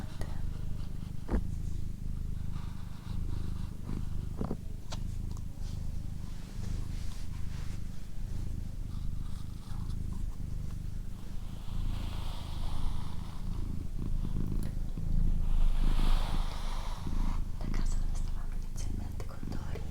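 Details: Steady, deep purr from Doroti, a domestic female cat, rumbling continuously with gentle rhythmic swells as she breathes; occasional soft rustles and a breathy whisper in the middle.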